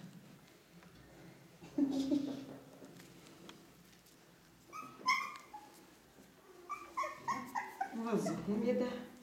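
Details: Ca de Bou puppy, four weeks old, from the litter of Bea and Bubu, lets out a thin whine, then a run of quick, high yelping squeaks toward the end, with soft German speech in between.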